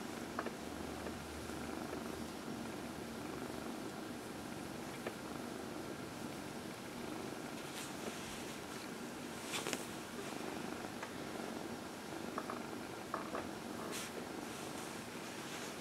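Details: Dinah, a 14-year-old adopted former shelter cat, purrs while being massaged during her early evening lap time on April 16, 2020; a steady, soft, continuous rumble with a few faint clicks and rustles from handling.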